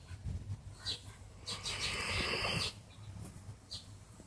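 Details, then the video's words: Sleeping old male mixed-breed dog, slow to wake when someone comes near; low, rough snoring breaths broken by a long noisy hiss lasting about a second, then quieter rhythmic snores. "雑種犬クロ♂(dog) いびきかいて爆睡w"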